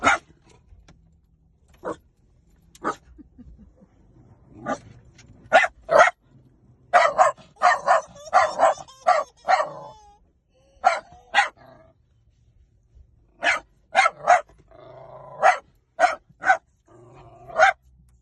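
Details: Sharp, high dog barks come at uneven intervals, bunching into a rapid, excited flurry in the middle. Scattered single barks and a short whimper-like tone follow.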